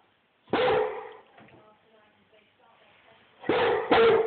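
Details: Rhodesian Ridgeback giving loud barks: a single deep, harsh bark, then a quiet stretch with faint murmuring, then two more forceful barks in quick succession near the end.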